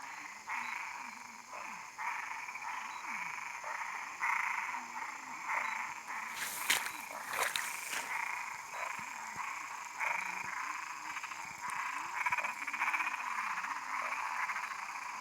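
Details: Frogs calling in a dense chorus: rapid, repeated rasping croaks overlap steadily, with a few sharp clicks near the middle and a constant high hiss behind.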